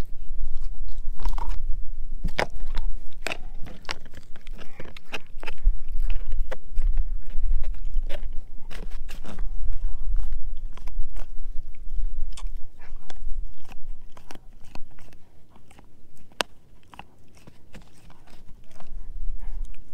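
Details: Loud sustained gnawing as Edu, a German Shepherd mix, eats a dehydrated pig ear chew indoors; rapid crunchy bites around three per second, sharp cracks throughout, a short softer lull before vigorous chewing picks up again.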